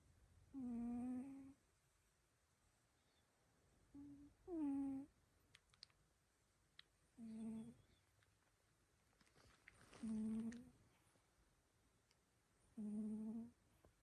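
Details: Sleeping cat snoring extremely loud indoors: five droning, humming snores, each about a second long, come every three to four seconds. The room is otherwise quiet apart from a few faint clicks.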